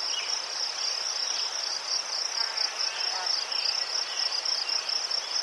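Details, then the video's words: Ukrainian crickets chirping near chrysanthemums: a constant high-pitched pulsed trill running without pause, rapid even beats, plus faint scattered lower insect notes. "Заспокійливий звук цвіркунів//The soothing sound of crickets"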